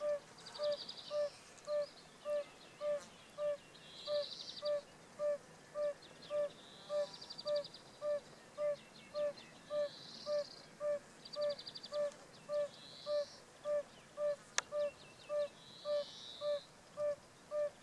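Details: A male yellow-bellied toad (Bombina variegata) sings in the south of the Vienne department, France, on 19 April 2018, giving soft, hollow, mellow notes evenly repeated nearly twice a second.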